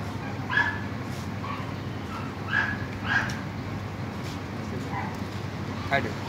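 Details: Golden Retriever, an 11-month-old male in Pathankot, gives a handful of short, sharp barks spaced a second or two apart, with a soft whimper between them, over steady background hum and nearby human voices.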